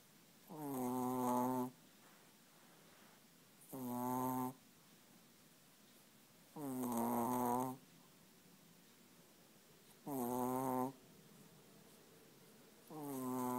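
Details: Chihuahua snoring indoors: slow rasping, harmonic snores about every three seconds, each lasting roughly a second, with quiet breathing hiss between them.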